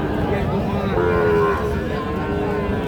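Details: Sahiwal cattle at the Panchbibi cattle market in Joypurhat, Bangladesh, on Tuesday 8 October 2024; a low moo with a drawn-out tonal band rises above the constant market hubbub of voices.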